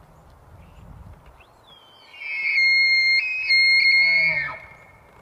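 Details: A bull elk bugles during the rut, a long, high, pure whistle that glides up, holds, then breaks into low grunts.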